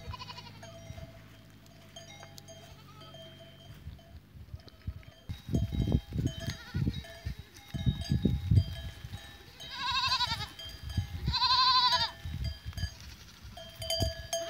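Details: Goats on 14 April 2023 giving two loud, tremulous bleats a couple of seconds apart, each with a shaky quavering pitch. Ringing bells chime continuously, and heavy thuds and shuffling sounds fill the background.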